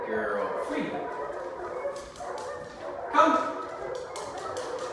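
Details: Two-week-old Dachshund mix pup Ruby whimpers in thin, high, quavering tones, falling briefly then swelling into a louder squeal after three seconds, with soft human speech in the background.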